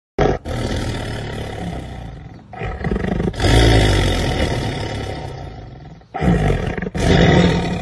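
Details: Jaguar roaring: long, harsh, deep rumbling roars in several loud bursts separated by short pauses, with a rough, grating texture throughout.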